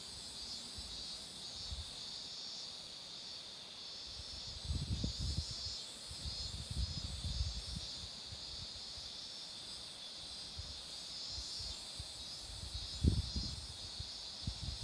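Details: Roadside cicada chorus by blooming marigolds, a continuous high-pitched buzzing wash. Low thumps and gusts, likely wind or handling noise, swell up around the fifth and thirteenth seconds.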